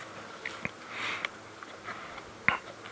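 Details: Lion cubs feeding on a fresh buffalo carcass killed the previous night, filmed from about 7 feet away on a late-afternoon sunset drive at 4 PM on 25 Nov 2016 in Djuma Private Game Reserve, Sabi Sands. Irregular wet crunches, tearing bites and snuffles are spaced unevenly over a quiet, hissy background. The cubs are already gorged.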